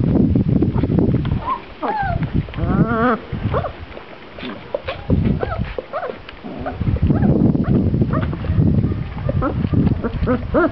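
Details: Great Dane puppies, 22 days old, playing together, giving high whining yelps and squeals with rising and falling pitch, some wavering, scattered across the recording amid a steady low rumble and a brief human voice.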